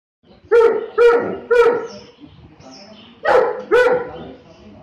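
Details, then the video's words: Saint Bernard dog giving five loud, deep barks: three evenly spaced in the first two seconds, a pause, then two more, each bark harmonic-rich with a strong low tone. "Dog Saint Bernard"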